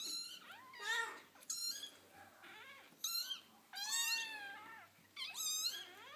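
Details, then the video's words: Foster kittens playing with their mother, giving a series of high, thin meows and squeaky cries, some rising then falling, in short bursts with quiet gaps, indoors. "Playful Kittens Making Cute Noises"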